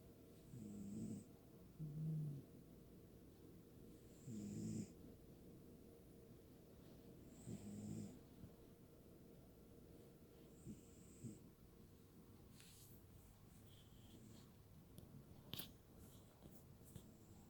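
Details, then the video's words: Cat asleep and snoring, low rumbling breaths arriving about every three seconds early on, then fading into quieter breathing while sharp clicks and rustling noises appear toward the end. "Appy snoring"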